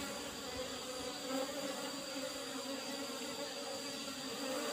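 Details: Asian honey bees (Apis cerana) in an old-style hive box, its lid a used asbestos sheet, during a honey harvest: steady low droning hum with a fainter higher overtone, continuous throughout, fairly quiet.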